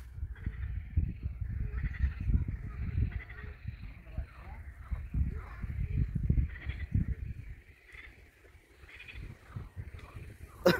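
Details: Frogs croak in a loose chorus of rattling, bleating calls over a low rumble of wind, heard along a riverside embankment in a park in Irpin in fine weather.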